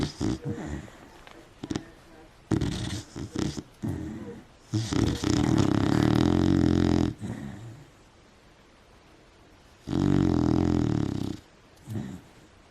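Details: Female beagle asleep indoors under bed covers, snoring: long rough buzzing rattles lasting two to three seconds, with shorter snorts and breathy noises between them and quiet pauses.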